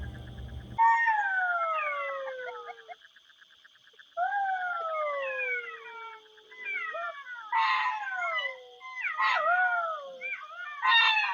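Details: Adult golden jackals calling at night, picked up by a trail camera at a den whose pups cannot call yet; overlapping wailing howls slide downward in bursts with a short gap, a thin steady high tone, and brief low noise at the start.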